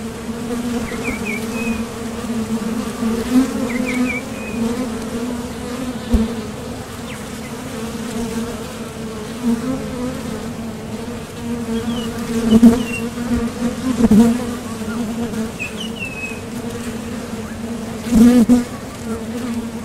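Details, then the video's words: Honeybees at a top bar hive entrance, coming and going to gather nectar; continuous low droning buzz with occasional louder close passes, and several faint bird chirps behind. "Bees Sound Effects | WHITE NOISE | RELAJANTE Sonido de las Abejas"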